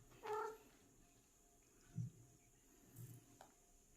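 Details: A seven-year-old cat while hunting: one short tonal, harmonic cry near the start with a stacked, slightly bending voice, followed by soft low thumps and quiet clicks in an indoor room.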